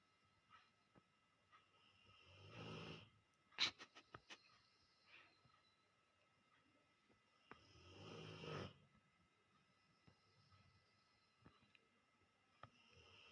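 A Rottweiler snores in long, raspy breaths, each rumbling snore spaced about five seconds apart.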